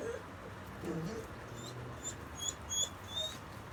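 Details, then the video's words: Mako, a pet dog, whimpers oddly while neighbours make noise: thin, high, wavering whines come in short slides, several close together near the end, over a steady low indoor hum. "makos weird whimpering when neighbours are making noises"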